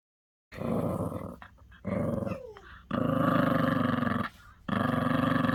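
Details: Maltese dog growling in low, rough, rattling bursts lasting one to one and a half seconds, with short gaps and a faint whine between them.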